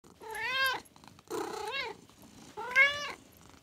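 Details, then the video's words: American Shorthair kitten being tickled indoors, giving three clear meows, each rising then falling, about half a second long, with rich harmonics and short pauses between them. "Cute Kitten Tickling"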